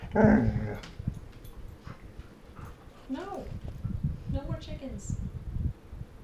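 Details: Female Golden Retriever kept with chickens, arguing vocally at bedtime after being told to lie down: a loud opening burst, then rising-and-falling whiny yodels around three and four-and-a-half seconds, with a person speaking.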